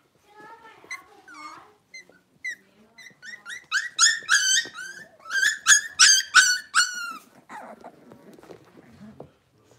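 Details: Six-week-old Cavalier King Charles Spaniel puppies, blenheim coloured, from a litter of five in an indoor pen: short high yips building into a rapid run of loud, bright barking yelps about three per second, fading to soft whines.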